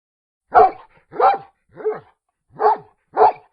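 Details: Five firm, slightly rough dog barks spaced about half a second to a second apart, with silence between them.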